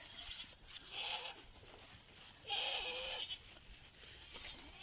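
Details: Goats bleating after a person calls them with goat-like sounds: two wavering, nasal bleats about a second and a half apart over a steady thin high whine in the background.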